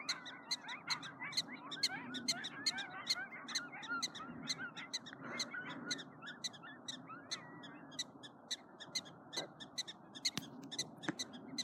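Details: A pack of three or four coyotes howl and yip in a wavering, overlapping chorus on snowy ground after a police siren passed, with alarmed prairie dogs giving sharp chirps.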